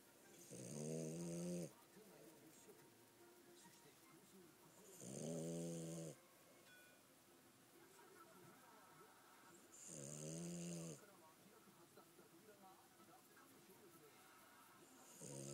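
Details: French Bulldog Gomashio asleep, snoring steadily: buzzy, throaty snores with a hissing edge, repeating about every four to five seconds, four snores heard in a quiet room.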